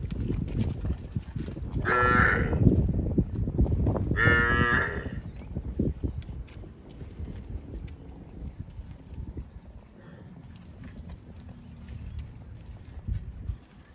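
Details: A cow from a herd of tame cows on a rice field road gives two long, loud moos with rich harmonics, then quieter rustling and low background noise.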